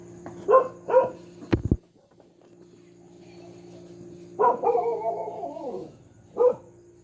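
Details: Household dog barking noisily and repeatedly: two sharp barks, a short click, then after a pause a longer drawn-out bark sliding downward and one more short bark, over a steady low electrical hum.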